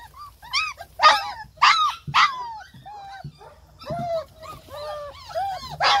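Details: German Shepherd pups give loud yelps and arched whines, with short sharp yips mixed among softer whimpers at an uneven pace.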